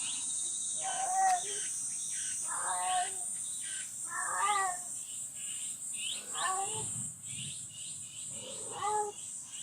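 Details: Mysterious night sound outside the livestock barn of the cat Jerry, a nursing mother: five falling, plaintive meows spaced about two seconds apart. Quick high chirping and a steady hiss fill the background, with a low rumble near the end.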